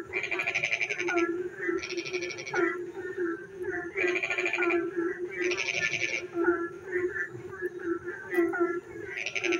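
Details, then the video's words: Night frog chorus in the rain, with loud buzzy pulsed bursts recurring roughly every one to two seconds, softer curling croaks between them, and a constant low droning hum underneath. "frog singing in the dark night when it rains"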